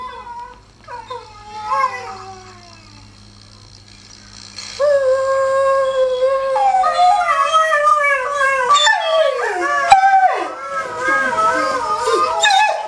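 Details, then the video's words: Benny, a rescue greyhound, rooing along in sympathy with dogs heard online; faint background howls give way to his loud sustained howl that climbs, wavers and breaks into sliding, quavering notes near the end. "Sympathetic greyhound howling/rooing"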